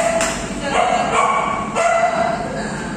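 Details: An Alaskan Malamute with her dog friends talks in drawn-out, moaning woo sounds, each tonal note bending up then down; several yowls follow within seconds, possibly with other dogs joining in.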